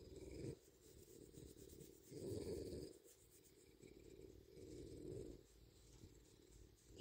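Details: A tame bobcat on a porch, handled while its ears and scratched neck are checked, gives a low rumbling purr in swelling bursts of about a second, with a person's calm voice between them.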